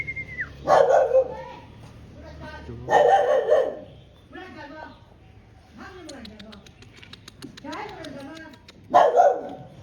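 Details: Black-muzzled, big-boned, fluffy Chinese rural dog from Guangxi gives loud, harsh barks in three bursts, near the start, around three seconds and near the end. Human speech and faint bird chirps fill the gaps.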